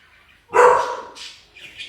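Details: Household dog barking at delivery people arriving at the home: a single loud, abrupt bark after half a second of near silence, followed by softer high squeaks or chirps.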